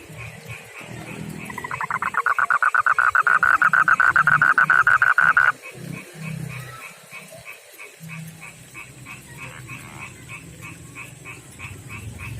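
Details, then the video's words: Male frog from a backyard pond and river habitat, rough-skinned, calling to a female: a loud, rapid pulsed trill for about four seconds, then softer scattered pulsed notes from other frogs continuing behind. "begini suara kodok jantan panggil betina"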